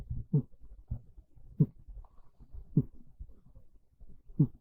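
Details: Sleeping cat named Monta curled on a bed one cold, rainy early afternoon, snoring gently; soft, low grumbling inhalations repeat roughly every 1.2 seconds, steady and rhythmic, with nothing else audible.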